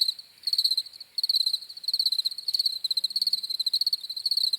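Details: Crickets start after a brief quieter moment, then keep up rapid high pulsed chirping in quick repeated bursts, a steady insect trill filling the rest.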